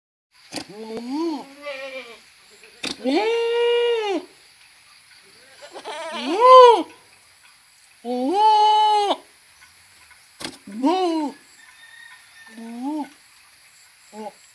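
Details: Goats bleating in a series of loud, wavering, nasal calls, each about a second long, some rising then falling in pitch, with short quiet gaps and a few brief clicks between them.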